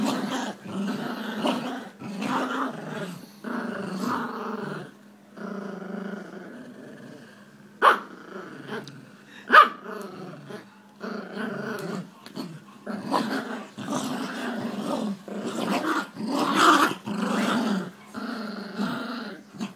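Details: Two Jack Russell Terriers growling during tug-of-war play; throaty, rolling growls pulse in repeated bursts over twenty seconds, broken by brief pauses and a few sharp snaps or clicks.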